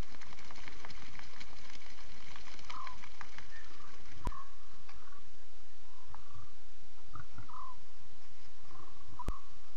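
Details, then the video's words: Chattering lion cubs at 02:40 a.m. CAT, 5 October 2016, filmed live on safari: a run of short mewing calls, bunched in the second half, over rustling and crackling at first, then steady hiss with two sharp clicks. "Here is 6 full minutes of the cubs. WOW are they talking"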